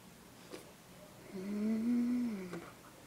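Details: Grandparents' cute dog, hypnotised, indoors in a small room: one drawn-out, low moaning whine that swells, wavers slightly and fades over about a second, with faint soft thumps before and after.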